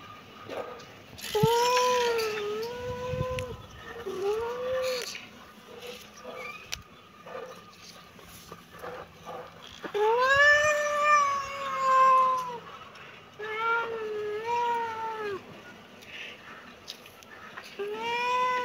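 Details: Kitten giving a run of arched meows, some short and some drawn out, with a loud extended mew near the middle and brief handling or rustling noises between calls.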